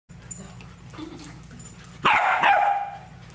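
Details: Newfoundland puppy meeting other puppies: quiet background at first, then one loud, sharp yelp that slides down in pitch, followed by a brief second yip.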